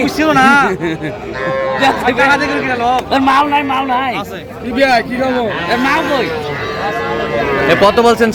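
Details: Sahiwal calves, both small bulls and heifers, call repeatedly at a crowded Madaripur cattle market in January: several overlapping high-pitched moos, some short and arching, others drawn out, mixed with constant voices of traders.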